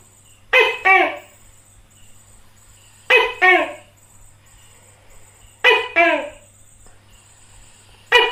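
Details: A tokay gecko (Gekko gecko) of Southeast Asia gives its loud, croaking two-part 'to-kay' call, repeated every couple of seconds.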